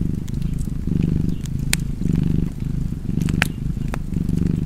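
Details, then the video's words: A purring cat by a fireplace: continuous low vibrating rumble rising and falling roughly every second, punctuated by a couple of bright wood pops from the fire. "Purring Cat and Fireplace 4K / Wallpaper Tv Art Çerçeve / Cozy Purring Cat ASMR / Kedi Mırlaması"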